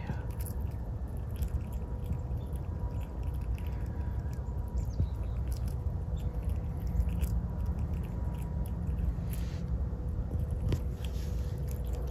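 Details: Hazel the squirrel eating a walnut as a winter snack: steady, irregular crunching and gnawing clicks, soft and close, with a faint hum behind and no voices.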